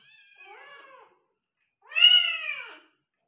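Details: Persian mother cat delivering a litter of five kittens: a quiet, flat meow followed after a short pause by a much louder, rising then falling meow.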